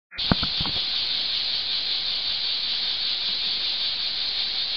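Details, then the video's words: Cicadas singing in summer beneath an old olive tree in Archangelos, Rhodes, Greece: a dense, unbroken, high sizzling buzz holding steady throughout, with a few soft clicks at the very start. "Sound of Cicadas under an olive tree"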